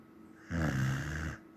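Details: Sleeping Samoyed giving one deep, rough snore of about nine-tenths of a second, steady and throaty in the low range, with near silence before and after.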